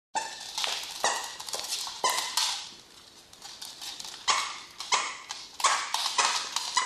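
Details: Pet Dachshunds Honey and MJ at home give short, sharp harmonic yaps scattered through the clip, several in quick succession near the start, with clicking sounds between them.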